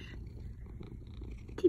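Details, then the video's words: A domestic cat purring hard, a steady low rumble through the short stretch, ending in a brief louder sound. "purring like a motorboat"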